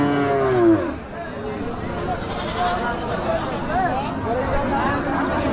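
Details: At a village cattle market, a cow gives a short, falling moo at the start, followed by fainter lowing amid loud human chatter and crowd noise.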